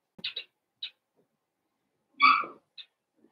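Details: Indoor puppy pen holding five blenheim Cavalier King Charles Spaniel puppies born around New Year's Day: a few quick, high, squeaky yips, a pause, then one louder, longer whining yelp and a final short squeak.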